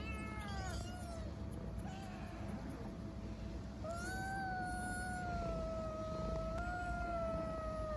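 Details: Homeless street kitten in Istanbul asking for food and affection, giving a brief early meow then one long drawn-out level meow lasting about four seconds, against constant low-pitched urban hum.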